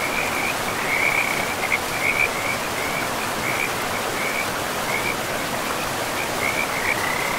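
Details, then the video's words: Frogs by a river in a pristine forest give a continuous high, pulsing trill that rises and falls slightly throughout, steady beneath a constant hiss of flowing river water. "River and Frogs sleep sounds"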